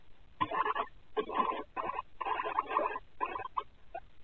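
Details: Pet guinea pigs active at night with the lights out in their home tank enclosure, caught on a Ring night-vision camera: a run of short, rough, chattering bursts repeated about every half second, with a thin, muffled sound quality.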